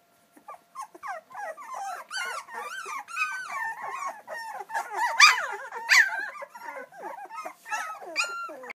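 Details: A litter of two-week-old English Springer Spaniel puppies crying for their mother out of hunger, with many overlapping thin squeaks and whimpers, a few louder yelps near the middle and quieter squeaks trailing off.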